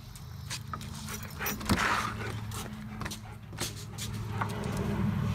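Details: A dog sneezing again and again, short sharp bursts of noise at uneven intervals across about five seconds, with a steady low engine-like hum in the background.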